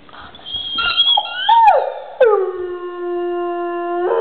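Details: Pet dog, seemingly fussing over a toy, gives rising and falling whines that bend down into a long, even, sustained howl rich in harmonics, ending with a brief upward lift.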